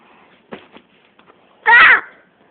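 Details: Pet domestic cat indoors, playing and trying to catch a rope, gives one short, loud, harmonic meow lasting about a third of a second, preceded by faint soft clicks and rustles in a quiet room.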